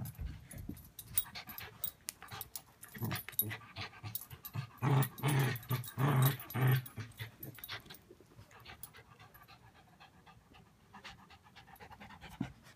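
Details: Playful Bichon Poodle mix dog growling for fun while chewing a rope; deep rumbling growl bursts, strongest between five and seven seconds, then fading into quieter chewing and panting-like breaths.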